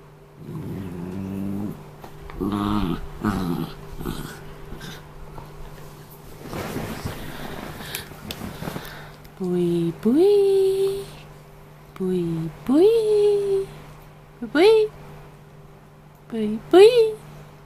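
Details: Peapea, an Australian terrier cross, guards his after-meal toy indoors while being bothered by a person and Buibui, a Scottish terrier and Shih tzu cross: low rumbling growls in bursts early on, then sharp rising whining yelps, over a steady hum.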